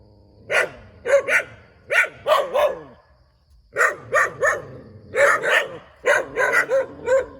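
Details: Dog beside a rubber plantation in Thailand barks in quick clusters of two to four sharp yaps, stopping briefly midway before resuming steady repeated barking.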